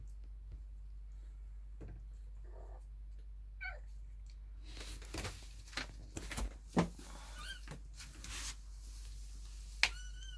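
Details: Kittens in their nest, awake while their mother is neither nursing nor cleaning them. Faint, short high mews break through now and then among soft thumps and rustling, over a steady low hum.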